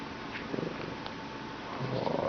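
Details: Bengal cat, a talkative pet, petted indoors after waking from sleep: a steady low rumbling purr, ending in a faint brief meow-like tone.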